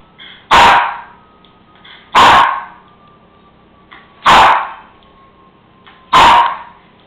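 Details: Cairn Terrier barking indoors because he wants his bone from the counter: four loud, sharp single barks about every two seconds, with a faint steady hum in the room.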